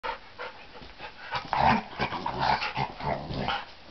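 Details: Dogs at play, breathing in rough, breathy noisy bursts with a few short growly grunts, loudest in the middle and then coming in uneven puffs.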